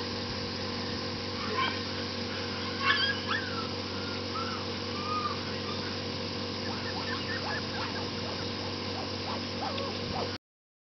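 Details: Red female Shiba Inu puppy at a breeder's kennel, giving short thin high whimpers near the start, a yip around three seconds, then a cluster of soft quavering whines toward the end over a steady low mechanical hum.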